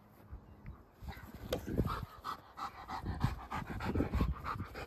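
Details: Two-year-old German Shepherd Rip, a trained protection dog, breathing in quick, uneven pants during a game of fetch with a toddler in Boise; soft background hiss throughout.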